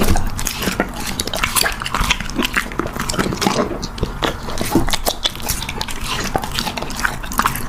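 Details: Young dog eating, a busy stream of sharp clicking and crunching bites, with faint clatter in the background.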